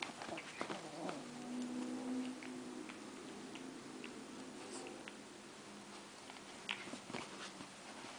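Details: A nearly 3-month-old, 3.6 lb Italian greyhound puppy gives a low, steady play growl while roughhousing with a 2½-year-old, 13 lb Chinese crested who doesn't want to hurt her.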